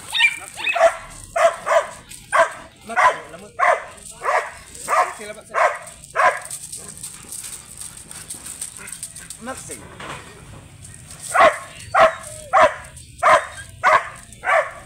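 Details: Grey sable Belgian Malinois barking at a stud service in Bisal, Manaoag, Pangasinan: a long run of regular, sharp barks roughly every half second, then a quiet pause of a few seconds, then another run of barks.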